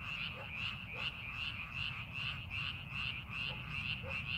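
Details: Rice-paddy frogs during farming preparation, many voices croaking in fast pulses of roughly two or three per second, forming a continuous chorus over a low background rumble.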